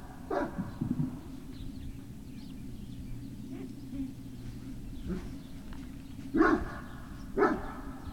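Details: Barking Great Dane puppies on 18 November 2018, afternoon: a bark at the opening, a quiet stretch with faint background murmurs, then two strong harmonic barks a second apart near the end, over a low hum.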